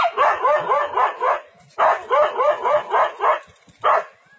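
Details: Dog confronting a leopard in the forest, two rapid strings of harsh barks, roughly five or six each, followed by a single separate bark.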